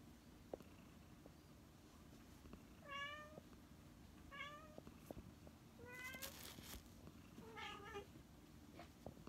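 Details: Tsuyoshi, an old feral community cat with kidney failure, taken in during summer 2019 to spend its final days and surviving a scorching August: four clear harmonic meows spaced over about five seconds, each short and slightly bending, over a steady low hum.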